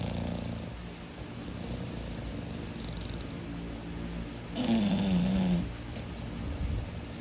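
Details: A sleeping English bulldog snoring heavily: a continuous low, rumbling drone that swells into a louder, throaty stretch with a falling tone midway, then settles back.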